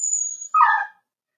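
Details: {'caption': 'Cavalier King Charles Spaniel puppy pen, 4-week-old litter indoors: a thin high whistle-like tone gives way to a single short yelp.'}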